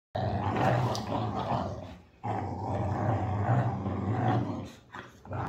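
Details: Boxer dog growling while playing tug of war: two long, deep, rumbling growls of about two seconds each, separated by a brief silence, with a low steady throaty tone throughout.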